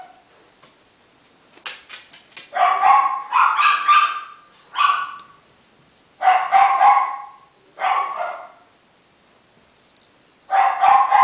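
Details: Salt-and-pepper Miniature Schnauzer puppies 28 days old at a Shizuoka breeder in Japan give a run of shrill yelping barks, several clustered bursts with short silences between, some notes sliding downward, room otherwise quiet.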